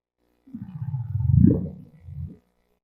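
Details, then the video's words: Humpback whale whoop call, the most commonly produced humpback call, a small unit of sound unlike structured song: one low, deep groan that swoops upward into a rising whoop, then a short lower tail, with no other sounds. "This is a humpback whale whoop call. This is probably the most commonly produced humpback whale call on the planet, and it sounds like this."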